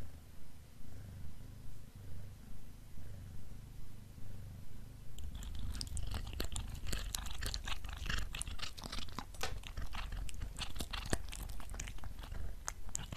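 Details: Black cat with beef snacks, first purring in a low, even rumble with regular swells for about five seconds, then crunching and chewing loudly in quick, sharp bursts that fill the rest.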